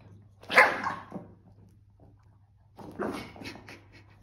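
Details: Two pet Chihuahuas indoors squabbling over a treat parcel, one grabbing it first and the other stealing it away: a sharp loud bark burst near the start with a trailing yelp, then a second rougher vocal outburst after a pause.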